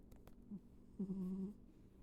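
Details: Ivy, a pet cat, snoring while asleep indoors: a short low grunt, then a half-second steady low nasal drone with a faint higher overtone, all over a quiet room hum.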